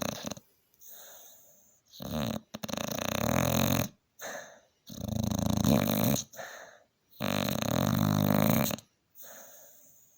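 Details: Staffordshire Bull Terrier, a pet dog tired after a hard day, snoring very loudly indoors: rough, rasping inhalations of uneven length, about one to two seconds each, separated by short silences and softer breaths.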